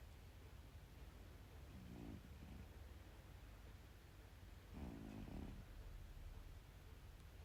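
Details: Sleeping cat snoring quietly: two rough, buzzing breaths roughly three seconds apart, the second longer and louder, against a constant faint background hiss.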